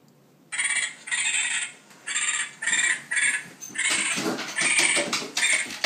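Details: A recorded raccoon distress call, harsh, bright squealing bursts repeated about every second, is played in the morning to get a pet dog out of bed.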